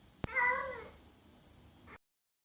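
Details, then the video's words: Single short cat meow following a sharp tap, bright and slightly falling, then fading into a faint room hiss before abrupt silence. "Funny Sounds Cats Make"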